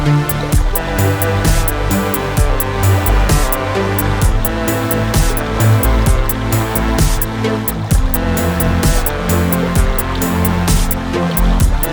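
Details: Loud electronic music with a pulsing beat and dense layered tones plays throughout, with no insect or other animal sound.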